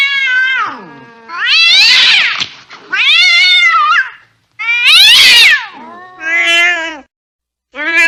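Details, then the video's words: Angry cat letting out a run of high, strained yowls and meows, some sliding downward. Harsh, breathy bursts are mixed in, roughly one call every second and a half. Short silent gaps between. "Angry Cat Sound"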